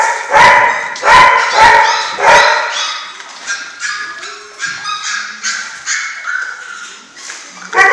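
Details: German Shorthaired Pointer puppies from a litter at six weeks old: several loud sharp yips near the start, then overlapping high whining whimpers and squeals from multiple pups.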